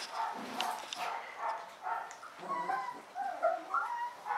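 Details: Alaskan Malamute pups of one litter give overlapping high whines and short yips, several voices crying almost continuously.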